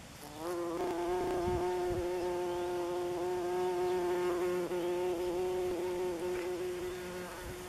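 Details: Buff-tailed bumblebee (Bombus terrestris) on an orientation flight over its nest, Northern Germany, June 27, 2015: a loud, steady, low-pitched hum that starts suddenly and holds for about seven seconds, wavering slightly in pitch.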